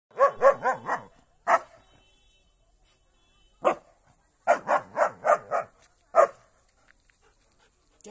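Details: German Shepherd barking while attacking a cow in a fight: loud, sharp barks in quick bursts of three to five, separated by short pauses, with a low wavering rumble beneath the first bursts.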